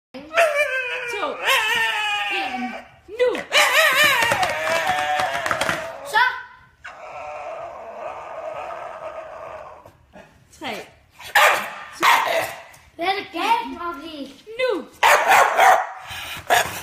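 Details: Staffordshire Bull Terrier indoors reacting to being counted down from three in Danish, giving wavering howling whines and yowls in bursts, mixed with people's speech and laughter.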